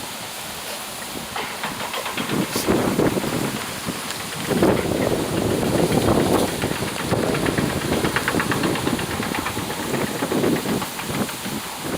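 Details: Steady rhythmic rustling and hissing, like an idling engine, with no animal voice.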